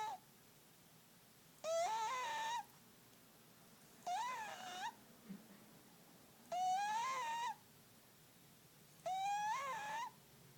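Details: Loud snoring from a sleeping fat tomcat. Four whistly, wavering tones, each lasting around a second, come at steady breathing intervals of about two and a half seconds, with soft rustles between them in a quiet room.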